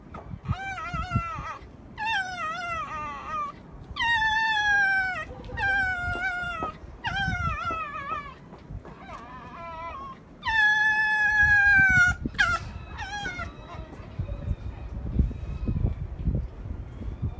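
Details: Angry fox at Zao Fox Village, Japan, in December 2016, giving a series of loud wavering whining screams, each about a second long, with bends in pitch, repeated with short gaps; scuffling noises underneath.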